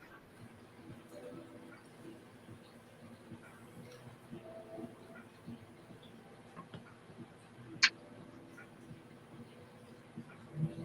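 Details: A pistol shrimp in a home reef tank gives a single sharp, crackling snap against a low room hum and murmured talk.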